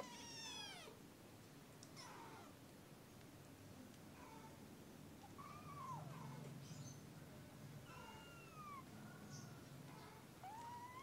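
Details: Kitten at early morning giving soft, thin mews with downward and arching pitch, fairly faint and scattered, against a constant low background hum.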